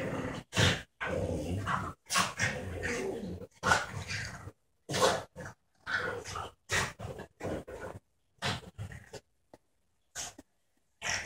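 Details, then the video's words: Playful tussle between a young border terrier, 12 months old, and a French bulldog of about four; choppy growls and snorting bursts separated by silences, with one deeper bark-like growl. "Border terrier and French bulldog playing"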